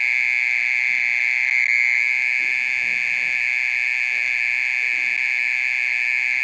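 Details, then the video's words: At night a mole cricket keeps up a loud, continuous call lasting more than half an hour, a sustained shrill buzzing trill at a constant pitch, very faint low background noise beneath. "オケラの鳴き声 30分以上鳴いてる"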